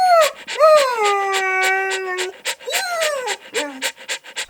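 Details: Puppy at play in nature makes falling whimpers and one long, steady whine that drops in pitch. Rapid breathy panting-like pulses run under it and continue after the whines stop.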